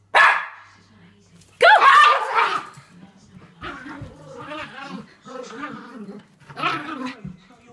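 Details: Schnauzers at play and wrestling: two sharp barks open, followed by a run of lower, throaty growling and grumbling vocal sounds in uneven bursts.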